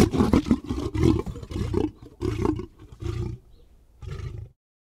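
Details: Lion producing a series of harsh, rasping growls in short bursts about a second apart, fading into a final brief grunt before silence.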